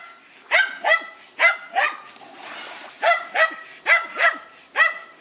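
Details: Hunting terrier Dunja at a wild boar, sharp barks in pairs and short runs, about nine in five seconds, with a brief noisy pause in the middle.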